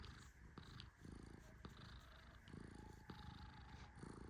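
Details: Tehran, a male Persian cat, sleeps deeply while being gently petted, giving a soft low rumbling snore in broad swells about a second long, with a few sharp clicks scattered through.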